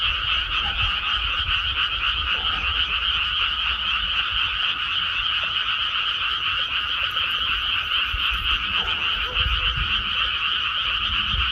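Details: Frog chorus from a freshly planted rice paddy: countless overlapping croaks merge into a continuous, buzzy pulsing wall of sound, steady for the whole stretch, with soft low background rumble.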